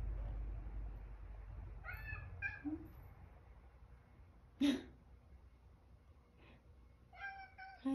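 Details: Sacchan, a male cat living in the countryside with an elderly woman, home from a walk, gives several short, clear harmonic meows spread over eight seconds, each rising then falling, in a quiet indoor room with faint clicks and a soft human voice.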